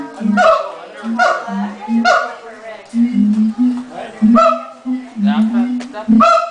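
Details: Siamangs at a zoo in Los Angeles just before lunch time, the male taking center stage: loud whooping hoots and barks in bursts, a low booming tone between them, with a rising yelping call at the end.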